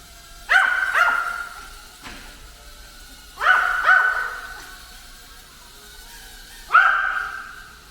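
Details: Ten-year-old pet dog that hates drones barks while attacking one: sharp harmonic barks, often in quick pairs, at about 0.5, 1, 3.5, 4 and 7 seconds, over a steady high whine from the drone.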